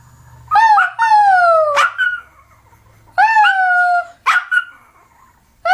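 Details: Domestic dog giving an annoying howling sound: two pairs of sliding, falling whines broken by short sharp yelp-like bursts, with a low hum in the background.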